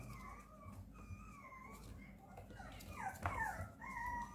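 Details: Tan-and-white Papillon puppy sisters giving a few soft, drawn-out whines, some sliding downward, then a brief louder squeal near the end, over a quiet hissy background.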